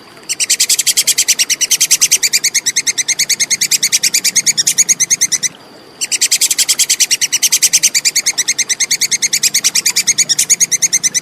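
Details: Clear chattering of a plantain squirrel: fast, sharp, high-pitched clicks repeated evenly in two sustained bursts of about five seconds each, separated by a half-second silence, over a quiet background.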